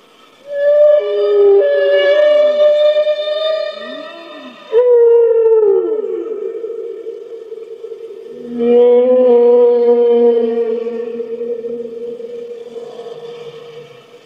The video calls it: Whale - Sound Effect No Copyright